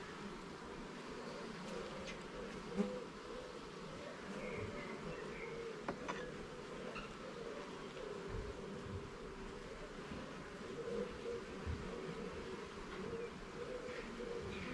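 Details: Honey bee colony in a garden hive during a frame-by-frame inspection: a dense, continuous buzzing drone with wavering pitch as bees swirl, occasional sharp clicks and taps from handling the frames.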